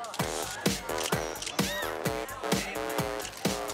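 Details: Electronic music with a punchy beat repeating about twice a second and bright synth tones, with no animal sound present.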